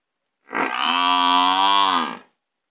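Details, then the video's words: Village buffalo giving a single long, loud moo of about two seconds, steady and droning with a rough, nasal tone and a slight fall at the end, with no other sounds. "buffalo sound buffalo ringing buffalo"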